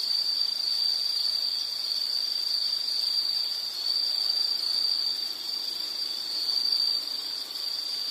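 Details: Insect chirping in a nature soundscape: a steady high-pitched trill, near continuous with faint pulsing, alongside a softer higher tone and quiet background hiss.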